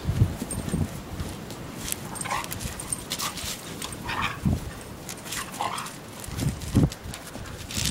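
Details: Two pet dogs, a Weimaraner and a collie, playing roughly together in snow for the first time; soft short whiny yips rise out of a muffled background of scuffling and trampling in the snow.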